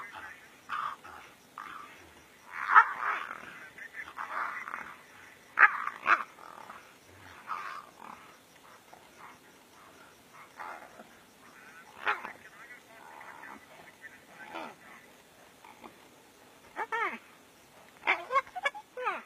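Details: Two brown hyenas locked in a serious fight in the African bush, January 2016; harsh rasping snarls and squealing growls erupt in loud bursts, strongest near the start, middle and end, with softer rumbling between clashes.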